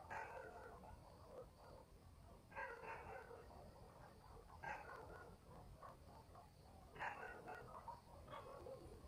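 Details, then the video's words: Dogs in a village at night: faraway barks come in separate bursts about two seconds apart, with scattered quieter yelps in between and a constant low rural background. "barking dogs in the village"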